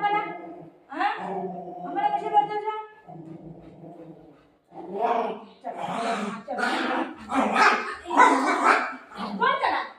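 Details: Golden Retriever at home playing with its owner after running off with her dupatta: drawn-out harmonic whining yelps at first, then a run of sharp, rapid barks, with a woman talking to the dog throughout.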